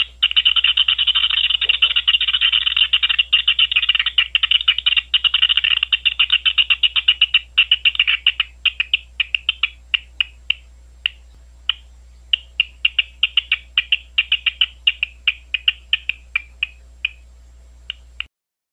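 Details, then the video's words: Big brown bat calls recorded at three locations on Ohio State University grounds: a rapid, dense train of dry clicking pulses that thins after about eight seconds into irregular bursts of ticks, with nothing else audible. "Big Brown Bat calls"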